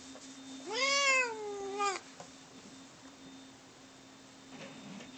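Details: Pet cats Bono and Mickey in a fight; a strong, long meow rising then gently falling, ending abruptly with a click, then quiet rustling and a faint low sound near the end.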